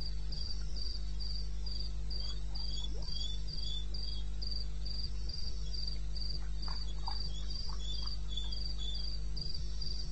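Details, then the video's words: Wild cricket calling in the eastern Botswana wilderness at 2:30 AM on 21 May 2016: high, steady chirps repeated about four times per second, a fainter second chirping voice below, scattered soft clicks and a constant low hum. "1 Hour cricket sound"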